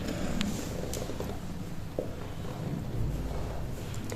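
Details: Mother cat named Eli, recently spayed, resting with her kittens in a garden colony in Turkey; a steady low rumbling purr fills the clip, with faint household sounds.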